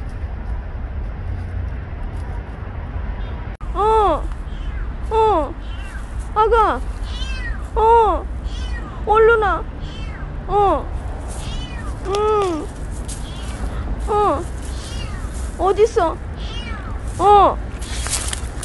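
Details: Stray kitten named Petit meowing steadily outdoors, about a dozen arched rising-then-falling meows spaced roughly every one to one and a half seconds, with a person's soft calling voice between cries and low traffic rumble beneath.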